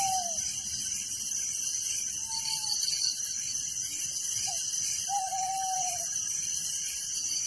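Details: Village crickets at night keep up a continuous high, rapidly pulsing chirping with a sustained ringing note; four short, clear, falling whistles cut in at intervals beneath the chorus.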